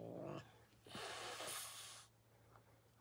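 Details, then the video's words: Domestic cat Kali lets out a quieter, drawn-out breathy hiss lasting about a second after a brief murmur, against faint room hum. "Kali hissing at me"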